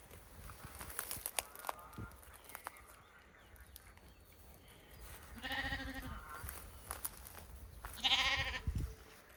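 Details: Domestic sheep on a farm with lambs: two separate wavering, harmonic bleats about two and a half seconds apart, the second louder and harsher, over low rumbling handling noise and scattered clicks.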